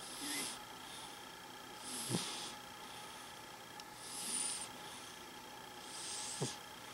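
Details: A dreaming house cat snores quietly in its sleep. Soft hissy breaths repeat roughly every two seconds, some finished with a brief low snuffle or click, against a constant faint electrical hum.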